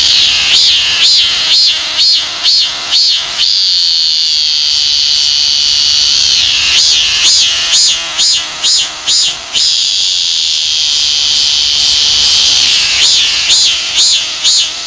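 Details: Korean cicada, among the cicadas most commonly seen in Korea, singing a loud shrill song. Pulsed, wavering bursts roughly twice a second alternate with long stretches of unbroken high droning buzz, then the pulsing returns.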